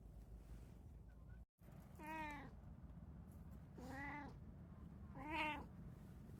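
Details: House cat, one of three cats of Kiji-tora (brown tabby), Munchkin, short-legged Munchkin and Abyssinian breeds, kept indoors: three drawn-out meows about two seconds apart, each rising then falling, over a steady low hum.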